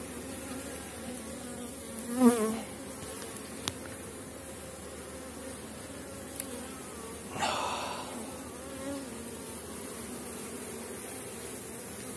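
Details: Strong honey bee colonies on 4.9 mm comb cells near the end of the season, buzzing during a hive inspection: a steady low hum with layered harmonic bands, interrupted by a few sharp handling knocks and rustles.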